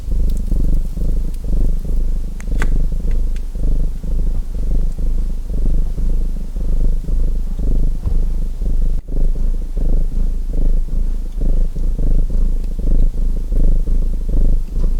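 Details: Purring domestic cat mixed with fireplace crackle: a low, throbbing rumble rising and falling in even breath cycles, a brief dropout near the middle, and a few bright pops and snaps from the fire early on.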